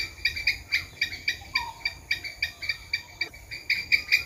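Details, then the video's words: Fast, evenly spaced squirrel chucks, nearly four per second, dry and clicky, with one soft rising whistle partway through. "Squirrel sound"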